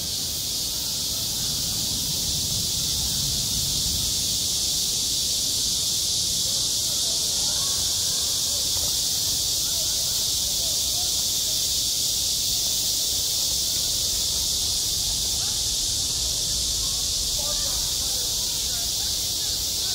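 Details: A midsummer school playground rings with cicadas: a relentless high, hissing drone holds steady for twenty seconds, with faint distant voices and muffled low activity blending into the background.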